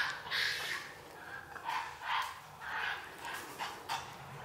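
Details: Japanese macaques of the free-ranging Awaji Island troop in Hyogo, Japan, arriving in mid-afternoon: several harsh, breathy calls in bursts about every half second to second, with gaps of quieter background between them.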